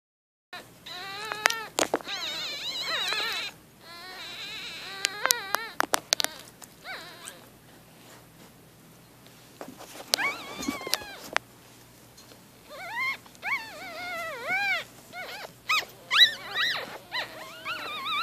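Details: Newborn Shih Tzu-Bichon puppies, 4 days old, squeak and whine in high, wavering, rising-and-falling cries with sharp clicks between.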